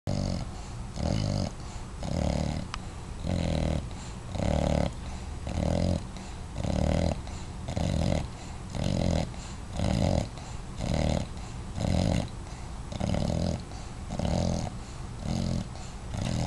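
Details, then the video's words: Watson, a five-month-old dog, snoring steadily: low rumbling breaths repeated roughly once a second in an even rhythm, each snore a broad growly burst with a faint whistle above, indoors with no other sounds. "Watson 5 months snoring"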